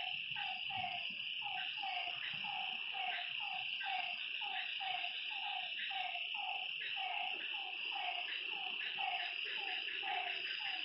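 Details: After dark by a lake, a frog keeps up a steady series of brief, falling croaks, close to two per second, against an unbroken high-pitched wall of insect trilling.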